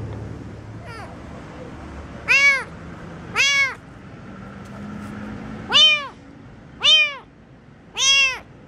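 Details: Kitten on the street meowing loudly: five strong arched, harmonic-rich meows, each about a third of a second, spaced one to two seconds apart after a fainter first call, over low traffic-like rumble.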